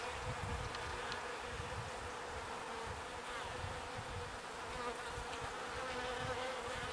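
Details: Bees foraging on pollen and ferrying it to the hive produce a continuous, even buzz with a dominant droning tone, accompanied by soft intermittent low thumping rumbles.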